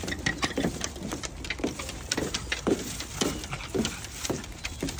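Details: Pug struggling on a walk in the summer heat, panting in quick breathy bursts roughly twice a second with a steady, slightly uneven rhythm.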